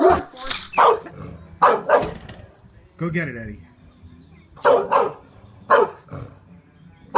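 A Great Dane gives loud, rough barks, often in pairs, with a person talking in between.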